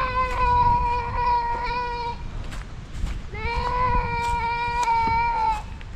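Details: Farm goat in rural Ilocano province life, Philippines, calling with two long, steady, nasal bleats, each about two seconds, separated by a short pause over faint background chatter.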